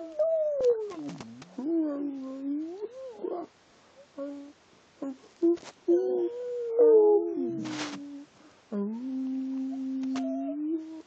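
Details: Bella, a pet dog, 'speaking' in a run of wavering, sing-song whines that rise and dip like talking, punctuated by brief yips and one sharp noisy burst, indoors.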